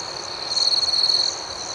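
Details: A single cricket at night gives a loud, steady, high trill of under a second, rising out of a softer background chorus of chirping.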